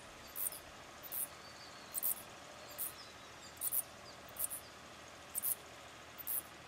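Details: Mating pair of Mauritian tomb bats on a tree trunk by day, giving brief shrill high-pitched squeaks in a regular series, about one burst per second, against quiet outdoor hiss.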